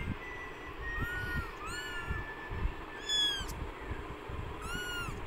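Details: High, thin arched meows from newborn kittens suffering in extreme hot weather, four or five calls spaced about a second apart over a low rumbling hum.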